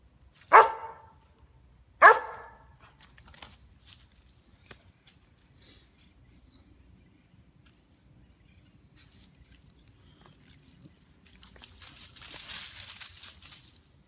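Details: Two sharp barks about a second and a half apart from a female White German Shepherd, nearly three years old, on squirrel watch in her backyard, then quiet with faint rustles and a soft hiss near the end.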